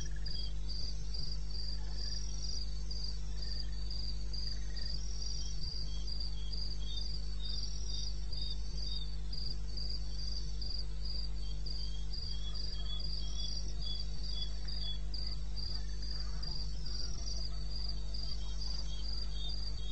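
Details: Eastern Botswana wilderness at 2:30 AM on 21 May: a chorus of crickets producing sharp, evenly spaced high chirps in continuous rhythm, layered voices, over a persistent low-frequency hum.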